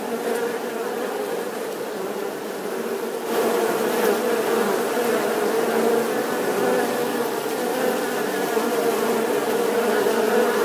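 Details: Continuous humming drone of bees, a thick buzzing wall of overlapping wingbeats that grows louder after about three seconds and stays steady to the end.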